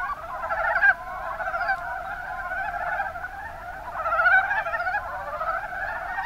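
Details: Mountain brown frogs chorusing in the Kuma Basin of Kumamoto, Japan, with soft overlapping chuckles and clucks, a sharp louder note just before the first second and a swelling burst later.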